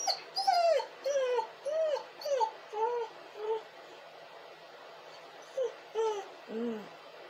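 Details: A dog crying and whining: a rapid series of about a dozen high, nasal whimpers, each bending up then down, clustered in bursts with short pauses, ending in a lower, drawn-out whine.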